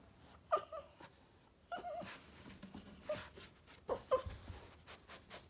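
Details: Yoda, a Boston Terrier, whines for attention while upset. Squeaky, wavering whimpers come in clusters around the first second, then near three and four seconds, with snuffly breathing and rustling between.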